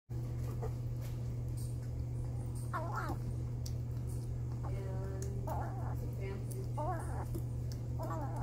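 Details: Foster kitten Jimothy, rescued from a car engine and brought into a shelter, meows over his yummy paste: short, arched, high meows spaced a couple of seconds apart, over a steady low hum indoors.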